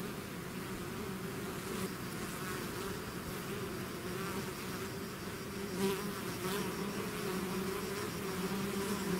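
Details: Natural sound of bees swarming out of their hive, a continuous layered drone of countless wings, even and steady, with faint higher whirring as single bees fly past.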